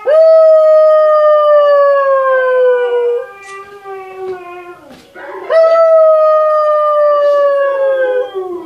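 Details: Two long, sustained husky howls slide slowly downward in pitch; they may come from other huskies howling that a Siberian Husky puppy is watching and reacting to.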